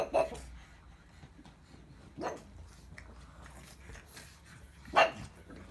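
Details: Three brief, punchy barks from a pug, near the start, middle and end, each about two and a half seconds apart, over a soft background hum.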